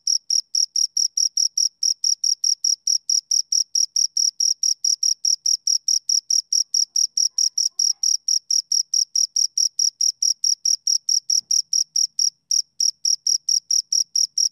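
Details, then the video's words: Two crickets give a continuous run of bright, high-pitched chirps, about three to four every second, evenly spaced and unbroken apart from a brief pause near the end; no other sounds. "Two Crickets Chirp Sounds"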